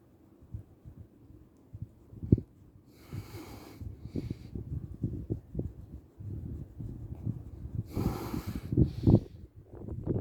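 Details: Chichi, a friendly Shiba Inu kept near the Kanahama branch classroom of Arakawa school in Aomori City, Japan, sneezes after being petted and having shedding-season fur removed: two short breathy bursts about five seconds apart, amid snuffling and rustling handling noise.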